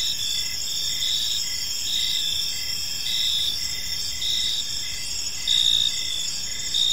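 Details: Park crickets at evening give a continuous, high, ringing trill in stacked bands, broken into short beats roughly once a second, with faint low-frequency background murmur.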